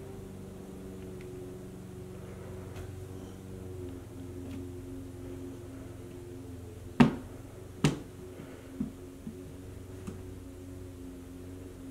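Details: Steady low indoor hum with a couple of sharp clicks and faint thuds, no animal voice.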